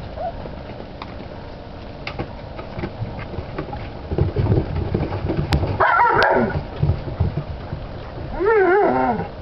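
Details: Alaskan Malamute puppies: scattered soft yips and grunts with handling noise, then a loud cluster of cries near six seconds and a wavering, rising-falling whine at the end.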